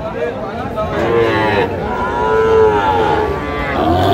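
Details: Sahiwal bull calves at a busy weekly cattle market in Comilla, Bangladesh, in June; two long, slightly bending lows follow one another, set against a murmur of buyers and sellers talking.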